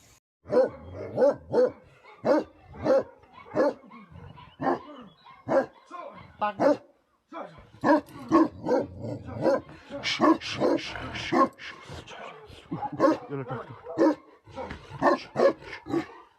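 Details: Tibetan Mastiff, known in Nepal as Bhote Kukur, a livestock guardian dog breed: deep, loud barks in rhythmic bursts about twice a second, a brief pause, then denser overlapping barking toward the end.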